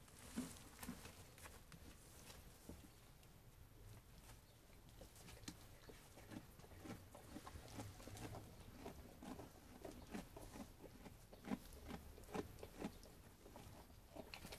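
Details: Sheep eating food, with steady crunching and chewing clicks repeating about twice a second, irregular in spacing, over a soft low rumble.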